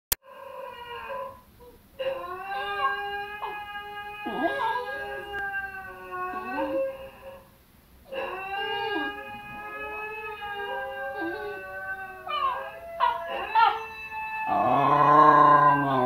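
A Basenji gives long, wavering, yodel-like howls, rising and bending in pitch with brief breaks.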